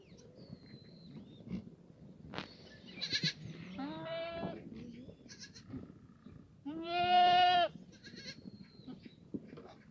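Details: Sunny Monday morning, 24 June 2019, in the yard of a free-range, antibiotic-free black goat farm at the foot of Mucheoksan, Gimhae, South Gyeongsang: two drawn-out, wavering bleats about three seconds apart, with thin bird whistles around them.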